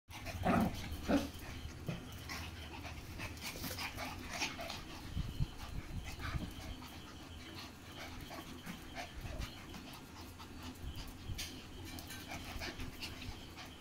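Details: Two Indian Spitz dogs play fighting: sharp yelping bursts in the first seconds, then a stretch of low rumbling growls, panting and scuffling with brief louder snarls scattered throughout.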